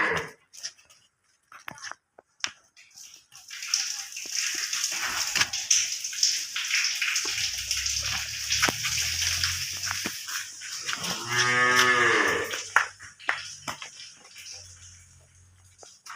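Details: Holstein Friesian cow on a farm at Setabganj, Dinajpur, Bangladesh: a single arching moo, rising then falling, lasting about a second and a half, set against a steady hiss like running water, with scattered knocks and clatter.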